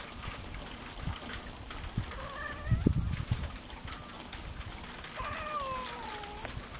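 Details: Cats meeting for the first time on a farm, male Louie and a small black stray female: two faint drawn-out meows, the second longer and falling, over low rumbling background noise and soft thumps.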